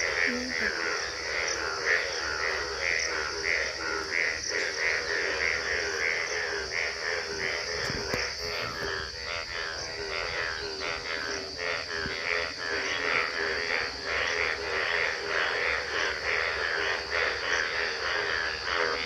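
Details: Chorus of frogs at Gobari in Pratapgarh, Bhagwan Tara, giving fast rattling trr-trr croaks about ninety times a minute, overlapping one another beneath a constant shrill insect drone; a brief faint voice near the start.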